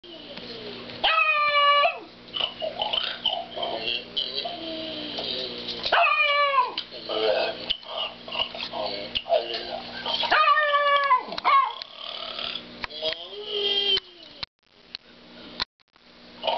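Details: Domestic dog barking at a snoring cow: four drawn-out, ringing barks that slide downward in pitch, spaced about four seconds apart, with quieter rustling and murmur in the gaps.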